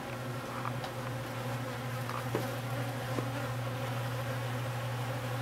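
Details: Honey bees, new foragers making their orientation flight while others clean up honey cappings: a steady, low, droning hum with layered overtones runs throughout, broken by a few faint clicks and taps.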